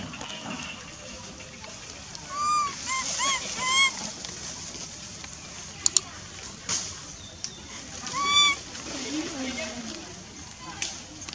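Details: Baby monkey Lizza, wild in the Angkor Park forest area, calling for its mother with two clusters of shrill, arching, harmonic cries several seconds apart; people talking and scattered clicks and rustles in between.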